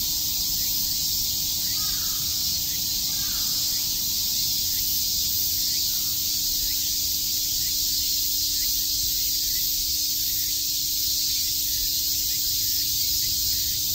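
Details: Many cicadas chirp together on a summer day at Shakujii Park, Tokyo, making a constant sizzling high-pitched drone, with a couple of faint lower calls near the start.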